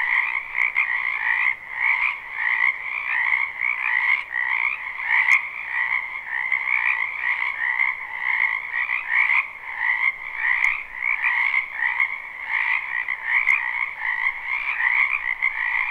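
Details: Many frogs calling together in a wetland behind a house in spring, live recording. A dense, continuous croaking chorus with two steady bands, a lower one and a brighter higher one, pulsing unbroken throughout, with a few faint clicks.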